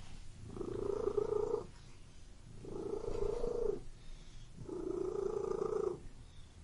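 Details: A pet cat purrs in three long, even rumbling pulses of over a second each, about two seconds apart, with hushed breaths between.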